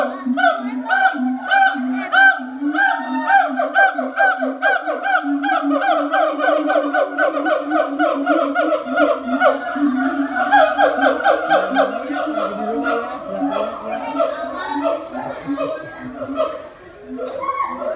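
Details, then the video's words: Siamang at Ragunan Zoo giving a loud, rapid series of repeated hooting notes with a strong harmonic stack, pulsing about twice per second and rising in intensity, with crowd voices and laughter faintly underneath toward the end. "Siamang monkey at Ragunan Zoo"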